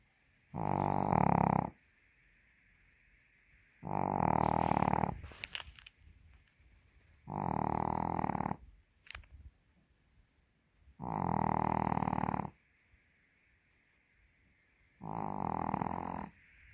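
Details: Sleeping Pekingese snoring heavily, with long buzzy rattling snores about every three to four seconds, five in all, separated by quiet breaths, indoors.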